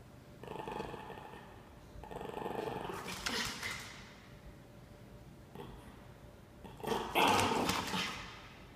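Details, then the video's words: Norfolk Terrier puppy named Ernie, standing his ground indoors: low rasping growls in several bursts of about a second, with a louder, noisier outburst near the end; small-room ambience. "Norfolk Terrier Puppy Ernie Stands His Ground"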